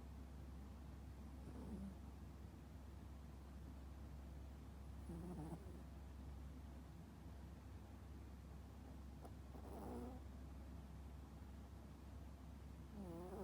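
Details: Toy poodle in a deep sleep, snoring loudly: low raspy snores rise out of a steady background hum about every three to four seconds, each a brief rough breath.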